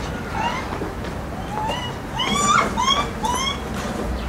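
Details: Male lar gibbon Kotaro, 11, calls while chasing female Ai, 6, at Maruyama Zoo, Hokkaido, Japan, April 2016; whistled upswept hoots accelerate into a quick rising series with clear overtones, over a steady hum of visitors.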